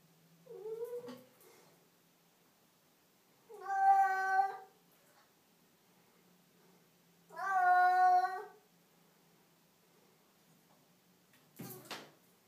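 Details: Pavlas the house cat meows in a bathroom: a short opening mew, then two long, loud, strained meows about four seconds apart, rich in overtones, with a sharp knock near the end.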